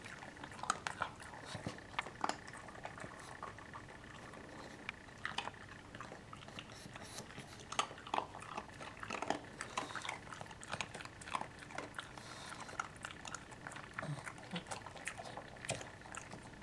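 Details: Frank the pug eats his afternoon snack indoors: irregular crunchy chewing and biting clicks, sharp bursts scattered through the recording over a low, steady room hum.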